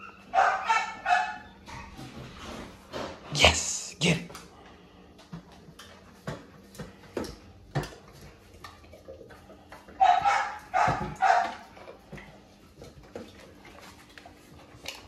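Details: XL American Bully household as the adult male meets his pups for the first time on his birthday; loud harsh barks burst out near the start, mid-clip and again later, with a person giving commands like sit and wait between them.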